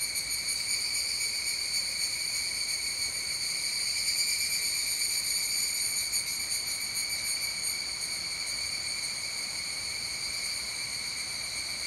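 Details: Evening cicada (higurashi) singing in the evening, recorded at 19:12 on a Wednesday in late July; steady shrill ringing chorus held high in pitch, with faint pulsing overtones and no pauses throughout.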